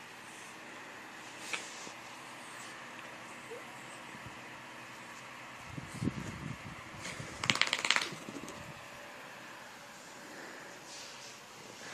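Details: Indoor rustling and handling noises with a short burst of shuffling, and no animal call.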